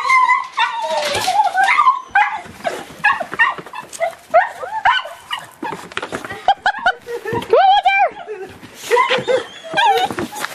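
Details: Excited nine-month-old Boxer puppy, just let out of its kennel as its people arrive home, gives a long run of rapid high yips, squeals and whines, rising and falling, with a person's voice now and then.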